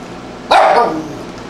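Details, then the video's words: A Tibetan Spaniel barking in response to a sound it hears; a single sharp, loud bark with a brief trailing tail, then quiet room tone. "Tibetan Spaniel Barking to Sounds"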